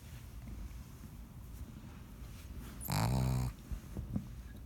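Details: Sleeping pet pug indoors giving one loud, deep, rasping snore lasting about half a second, followed by softer snuffling breaths, over a low background hum.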